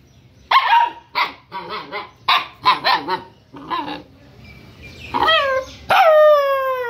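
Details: Rescued wild Bhutanese mastiff puppy, about one month old, giving a run of short, harsh yelping whimpers, then higher rising-and-falling whines that end in a long, bright, sliding cry.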